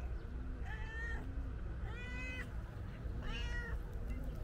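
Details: Loud meowing from a calico cat that wants to tell its owner something: three long, drawn-out harmonic meows, evenly spaced about a second apart, with faint lower murmuring sounds between them.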